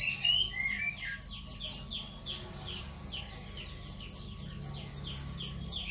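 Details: Cricket chirping, recorded as a training sound for songbirds: shrill, high pulses repeated steadily about four times a second, with descending whistled bird notes running underneath through the first half.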